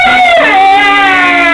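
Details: Siberian huskies 'singing': a loud, sustained, tonal howl with rich harmonics that slides downward near the start and then holds a steady pitch.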